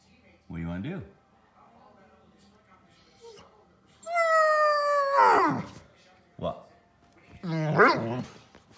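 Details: Nico, an older Pudelpointer dog, talking like a wookie when frustrated and wanting to go outside; a short low moan, then a long harmonic whine sliding downward, and a final rising-falling yowl, with quiet room noise between.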